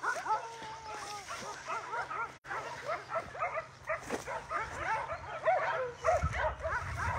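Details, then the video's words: Dog chorus at an animal shelter, with many overlapping short yelps and barks, some drawn-out whining cries among them; people talking and laughing in the background. "I hear a puppy crying outside of the shelter"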